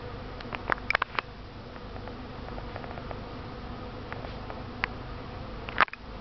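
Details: Thirsty honey bees drinking from a tub of water ready for a bath; steady low droning hum from many bees with a few sharp clicks and brief louder buzzes as individuals pass close.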